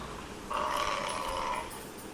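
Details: Buffalo giving a single drawn-out, nasal moan of about one second, steady in pitch with a buzzy harmonic tone, set against a faint background hiss.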